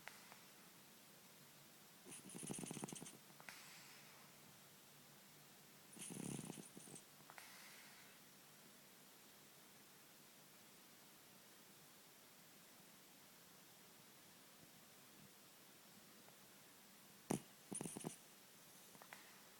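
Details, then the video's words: Ten-year-old cat snoring in deep sleep: soft, breathy rasping snores roughly every four seconds, each about half a second long, with a quiet hiss between and a sharp click near the end. "Sleeping,snoring cat"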